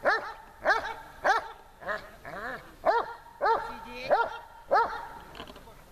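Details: Tashik the dog, at training in Horlivka in summer heat, 26 July 2020, gives a run of clear arched barks about every 0.6 seconds, a few softer whining notes between them.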